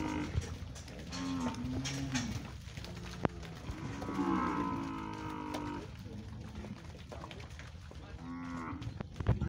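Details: Nelore cattle, 26 males sold as one lot at an afternoon auction in Monte Aprazível, São Paulo, January 2021: repeated low moos, some wavering, amid constant crowd and hall noise.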